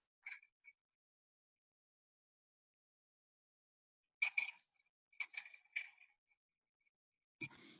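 Wood frog mating calls come as brief, raspy clucking notes, like a distant duck quacking, given in quick clusters. Males call at ponds early in spring during a short, explosive breeding period.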